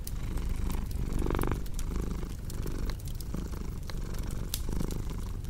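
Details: Steady rumbling purr from a cat, louder bursts around each exhalation, set against the intermittent crackle and pop of a wood fire.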